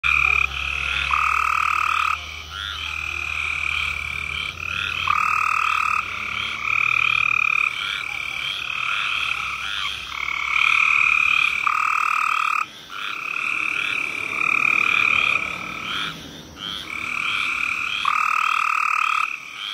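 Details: Cope's gray treefrog (Hyla chrysoscelis) in South Carolina giving its mating call, harsh, buzzy trills each a second or two long, repeated every few seconds.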